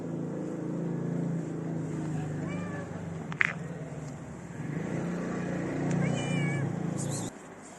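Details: Female stray cat in a Moroccan city, running up to a person and meowing for love and food; two short rising-then-falling meows a few seconds apart over a steady low traffic hum.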